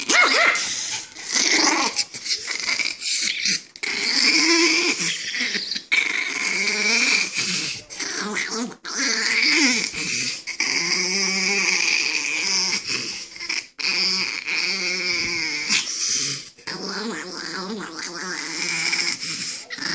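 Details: Angry chihuahua growling continuously, a harmonic snarl with rising and falling tones and a few sharper yips, steady throughout with brief gaps.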